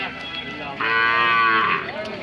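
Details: Hallikar cattle at a temple cattle fair market in India: a single loud, strained moo with rich harmonics lasting about a second, rising then bending down, amid background music and chatter.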